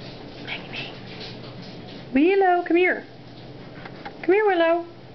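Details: Italian Greyhounds, four kept indoors, howling or "singing" while waiting for their owner to come home from work; two rising-then-falling wavering howls with strong harmonics, separated by a pause, over a woman's coaxing speech.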